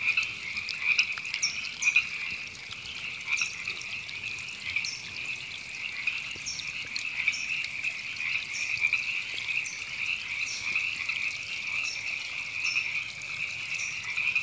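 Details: April 2017 recording of river frogs at Temescal Canyon Park in Los Angeles, California: a continuous, buzzing wall of overlapping croaks holding one pitch, dotted with brief, high chirps repeated every second or so.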